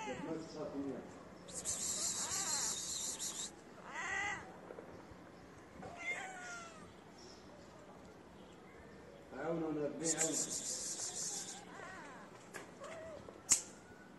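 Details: Feral street cats outdoors, a shy female sniffing the camera beside her companion, producing several short wavering meows in two bursts with hissy high noise, faint human talk and a sharp click near the end.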